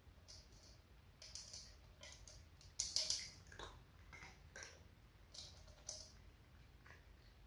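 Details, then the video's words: Dry food being chewed by a household of four cats, two grown sisters and two kittens: steady sequence of sharp, clicky crunches, a louder flurry near the middle, quiet background indoors. "4명의 고양이 사료 먹방 "중간광고 없음" Cat food eating sound."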